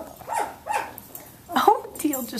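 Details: Seventeen-day-old Samoyed puppies of Athena's litter playing together indoors; quick thin yips and squeaks, two early then a louder cluster near the end, over quiet background.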